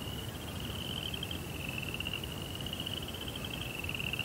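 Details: Crickets chirping at night, a short stretch of shrill rapid pulses merging into a sustained high trill, with soft low background noise.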